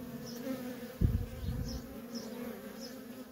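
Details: Continuous buzzing of worker honey bees coming and going at a feral colony, a sharp low thump one second in, then the even two-tone drone carries on with faint high chirps.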